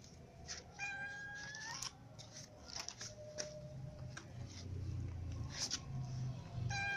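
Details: Several little cats eating crackers, with a drawn-out, rising meow near the start and another beginning at the end, over steady crunching, chewing and occasional clicks.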